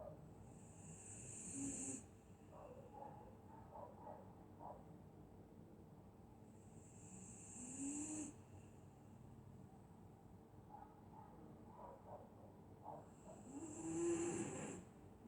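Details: Dog snoring while asleep on a winter night in Scotland; three long hissing, wheezy breaths about every six seconds, each ending in a short rising nasal whine, with soft clicks and low room hum between.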